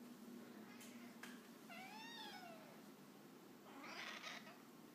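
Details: House cat vocalising insistently at its owner working from home; a single arched, rising-then-falling meow in the middle, a couple of sharp clicks before it, and a burst of speech near the end over room hiss.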